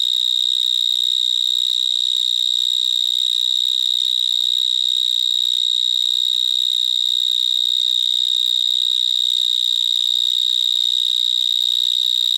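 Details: Close recording of a big Gryllotalpa vineae, the vineyard mole cricket, singing among vines in Gironde: an intensely shrill, continuous electric-sounding buzz held at a single high pitch, no pauses, with thin upper harmonics above.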